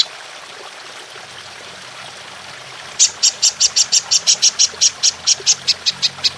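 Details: Golden grasshopper (belalang emas) in a clear recording for training songbirds, long bursts: after three seconds of soft background hiss, sharp high buzzy pulses begin, repeated steadily about one and a half times per second.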